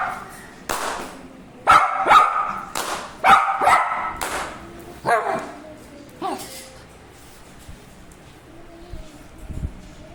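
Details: Dog barking in a burst of loud, sharp barks over the first few seconds, then a few fainter barks and whimpers trailing off into quiet.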